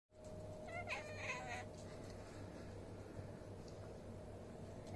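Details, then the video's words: Domestic cat, one of five kept in a home, making strange noises during a sudden frenzied fit: a brief wavering, harmonic meowing wail in the first second and a half, then only a steady low background hum. "Crazy Cat making weird sounds"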